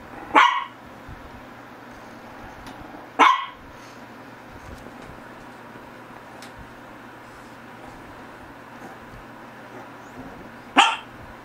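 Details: A Shih Tzu gives three sharp, isolated barks spaced several seconds apart, with long quiet gaps and a low steady background hum between them.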